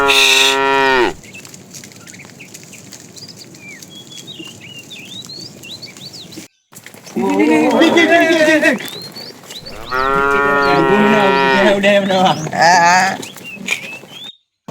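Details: Fat cow in a tame herd driven along in the afternoon, calling to the female: a short moo opens, then two long, rich, wavering bellows of several seconds each, with steady bird chirping behind.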